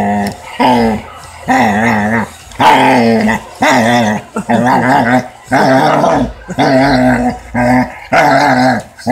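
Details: Weimaraner making funny noises while play fighting: a run of loud, wavering, harmonic growl-moans, about one per second, each warbling up and down, with brief pauses between; a person laughs afterward.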